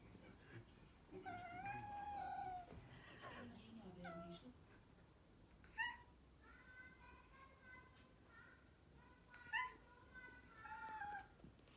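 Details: Domestic cat meowing in its typical high, soprano-like voice while trying to coax another cat into a play fight, unsuccessfully; a long drawn meow, then a cluster of shorter, bending meows with some soft indoor rustling and murmuring.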